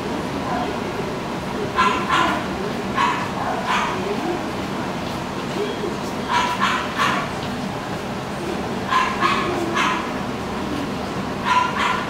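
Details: Papillon in a pet shop barking in bursts of two or three sharp yapping barks separated by pauses of a few seconds, against constant indoor background noise.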